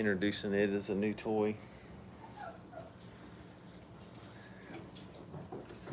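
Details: Puppies five weeks old at play in a kennel give three or four short, wavering whiny yelps in the first second and a half, followed by quiet background noise.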